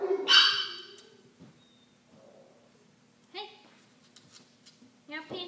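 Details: Benji, a 9-week-old Cardigan Welsh Corgi puppy and a new addition to the household, gives one loud, bright, high-pitched yelp near the start. Two brief, softer squeaks follow after a quiet stretch.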